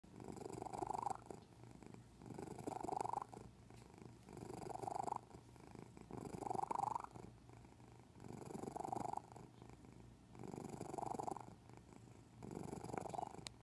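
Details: Domestic cat purring unusually, a low rough rumble rising and falling in about two-second cycles, each inhale marked by a brief higher wheezy note, recorded close up indoors.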